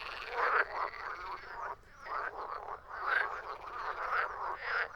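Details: A frog chorus of coarse, throaty croaks repeated in pulsing bursts under half a second apart, with a brief quieter gap before the calling resumes.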